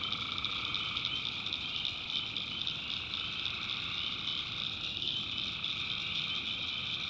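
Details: Swamp at night in North Carolina, tree frogs in full chorus: high, steady, interwoven trills without pause, plus a softer lower layer of calls that wavers slightly.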